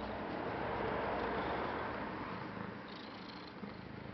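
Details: Domestic cat purring close up, a steady dense rumble of fast, even pulses filling the whole clip, slowly fading slightly toward the end.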